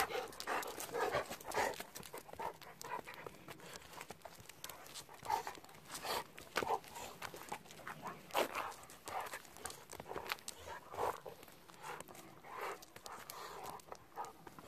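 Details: Golden Retrievers, two pet dogs aged 11 and 10, riding in a car on the way home; quick breathy panting bursts repeat about twice a second throughout, with a person's voice now and then.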